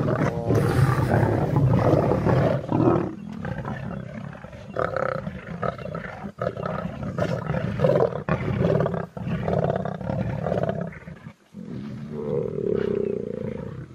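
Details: Male lion approaching a female lion to mate: deep, rumbling growls and throaty snarls in heavy, uneven bursts, pausing briefly, ending in a sustained moaning roar.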